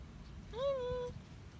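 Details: Domestic cat that wants to play gives one drawn-out meow, rising then holding steady and fading, clear against quiet low background noise.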